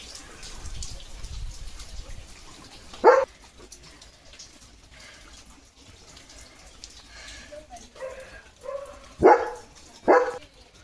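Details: Leo, a German Shepherd in his home courtyard after rain, under a rainbow: three sharp, loud barks, one alone near three seconds and a close pair near the end, separated by quiet stretches with faint voices and soft background noise.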